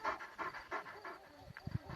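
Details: Panter-line purebred Kangal, a wolf-hunting dog, in a clip about its reaction to a wolf: quick breathy panting pulses about three per second, fading into quieter rustling, with a man's voice urging it on.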